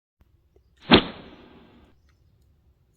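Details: A single sharp thwack followed by a decaying rattle lasting about a second, then quiet outdoors.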